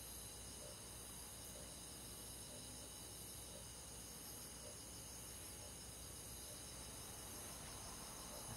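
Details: Crickets and forest insects on a countryside summer night keep up a continuous high, layered trilling, while soft lower pulses repeat roughly once a second beneath the even chorus.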